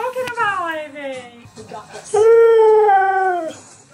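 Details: Husky vocalising. Opens with a descending, whiny, speech-like wail. After a pause comes a firm, level howl of just over a second that falls away. Light background voices.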